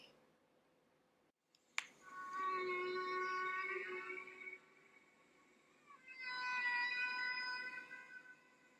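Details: North Atlantic humpback whales off Bermuda in springtime, migrating northward from the breeding grounds, from the 1966 recording released in 1970: long tonal moaning units with stacked harmonics, a sustained cry then a second rising wail after a pause.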